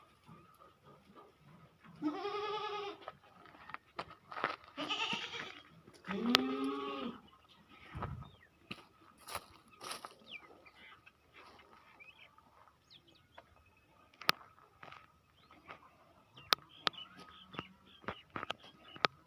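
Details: Goats on a goat and dairy farm bleating: three quavering, harmonic bleats around the second, fifth and sixth-to-seventh seconds, then quieter farmyard clicks and thuds.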